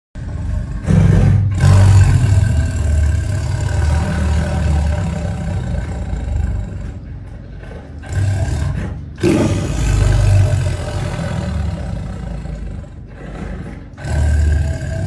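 A tiger roars in deep, rumbling bursts that swell and fade over a steady low growl.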